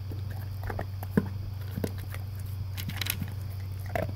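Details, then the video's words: Dry kibble breakfast for a male English cream golden retriever, eaten from a blue slow-feeder bowl with concentric circles; scattered biting crunches and soft clicks over a constant low hum. "Crunch Crunch - Golden Retriever Eating His Breakfast"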